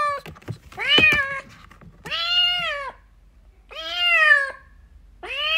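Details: Kitten crying for its mother: four long, clear meows, each nearly a second, with a steady arched pitch and strong harmonics, separated by short quiet gaps, plus a brief knock near the start.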